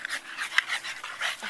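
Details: Pied French Bulldog puppies playing in the yard pant in quick, breathy bursts, with short snuffling huffs between.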